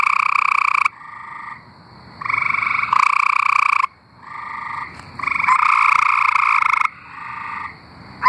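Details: Chorus of singing tree frogs from Arkansas. Loud, rattling pulsed trills lasting up to about a second and a half trade off with softer, more distant trills, leaving almost no silence between callers.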